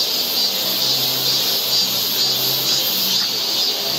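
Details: Cicadas on a forest trail in Seoul, Korea, in summer: a dense, steady high buzzing drone that swells and pulses slightly about twice a second, with no other clear sounds.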